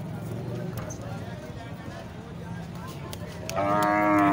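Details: Market crowd hum and deep, low lowing give way to a sudden loud, harmonic moo that rises in the final second. Sahiwal cattle recorded at Muhammad pur mandi, a cattle market in Pakistan.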